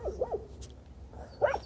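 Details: A dog at the end of a driveway barks at a male rottweiler during reactive training, while the handler keeps him heeling. A few short, fairly distant barks come at the start, then another sharper bark near the end.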